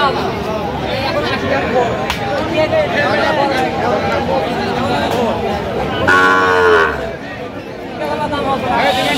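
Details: Sahiwal bull calves on sale at a cattle market in Kurigram, Bangladesh, 9 November 2025, while buyers bargain. Late in the recording a brief, bright moo breaks through the constant hum of talking people.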